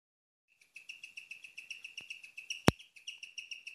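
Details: At night, a female guinea pig chirps in a fast, steady run of high, bird-like peeps, several each second. This is a rarely heard sound.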